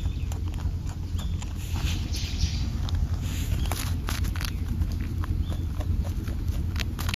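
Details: A rabbit on Ōkunoshima, Japan's rabbit island, crunches its food noisily, a quick irregular run of dry clicks over a low outdoor rumble.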